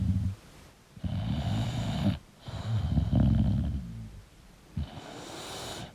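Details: Deep, fluttering snores from a sleeping English bulldog, with three long rumbling breaths separated by brief silences.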